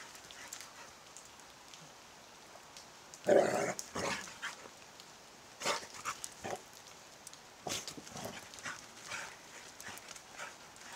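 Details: Pet dog, worked up and acting like a wild animal in the dark: one loud, harsh, short bark-like burst near the third second, then scattered clicks, scuffs and rustling against a faint hiss.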